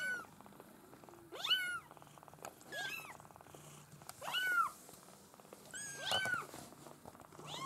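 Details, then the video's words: Maine Coon kitten litter from a breeder, with high, bent meows that rise and drop, repeated roughly every one and a half seconds, plus a faint low hum and light clicks. "U-Wurf Maine Coon"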